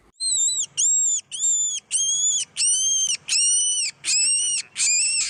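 A rabbit screams in piercing, arched shrieks, repeated about every half second, a sign of extreme fear or pain.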